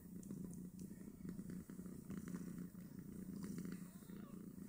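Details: Snowshoe Siamese mother nursing five two-day-old kittens that jostle over teats; a continuous low pulsing purr dominates, with faint soft scuffling and brief light clicks above it.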